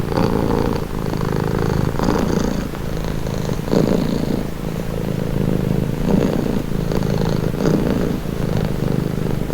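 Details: Domestic cat purring steadily, a calming, relaxing sound: continuous low rumbling vibration with rhythmic swells as the cat breathes in and out, roughly every two seconds, with no other sounds.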